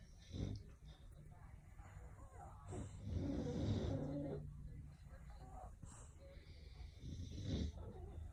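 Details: Bully dogs Opie and Lilly snoring at rest, low rumbling breaths swelling and fading over several seconds, with a brief snorting burst near the start and another near the end, a faint voice possibly beneath.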